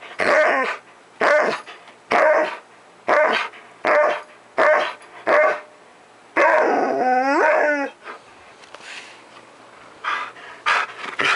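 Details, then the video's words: Energetic Husky nearing a decade old, recorded on 5 July 2018 around 10:53 AM: a run of seven evenly spaced barks roughly one per second, then a long rising-falling yodelling howl, followed by scattered lighter barks. "10AM...Time To Spazz Out"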